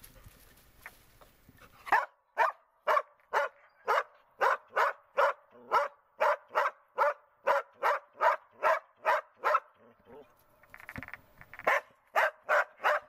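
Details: Border Collie Tara barks during search and rescue training: a long, steady run of short, punchy barks, roughly two per second, with a brief break near the end before the barking resumes.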